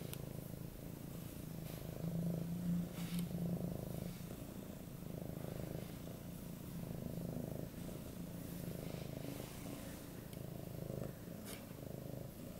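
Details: Goldie, an affectionate 8-month-old male Siberian cat, purring loudly while begging for cuddles; a steady low rumbling purr runs throughout, pulsing with each breath in and out, with a few faint clicks above.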